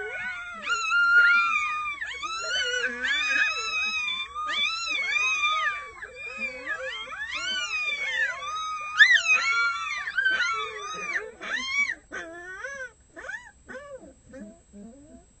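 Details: Six red wolf pups, a day short of one month old, howl together in high, wavering, overlapping voices in the early morning, joining in when the adults howl.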